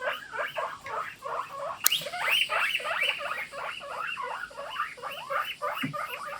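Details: Morning chorus of several pet guinea pigs: dense run of sharp squeaky wheeking calls repeated about three times per second, loud and overlapping, with a brief click in the middle.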